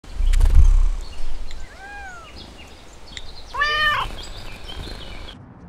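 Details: A raccoon in Texas woods, among raccoons playing and fighting, gives a few short, whiny, nasal squeals, the last loudest and wavering, after a low thump near the start.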